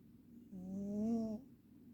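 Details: A Ragdoll cat snores in one sustained, nasal, buzzing inhalation of nearly a second, swelling in loudness and gently rising in pitch, rich in harmonics, set against soft background hiss.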